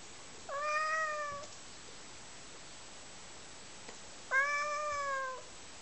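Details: Domestic cat that likes sniffing socks, giving two drawn-out, clearly tonal meows about three seconds apart, each roughly a second long with a level then slightly falling pitch, against a quiet indoor background.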